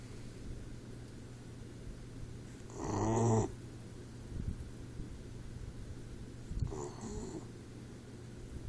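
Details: Troy, a 4-month-old Boxer puppy, snores in his sleep: one loud, rasping, buzzy snore with a low droning tone, then a softer one a few seconds later, over a steady low hum in a quiet room.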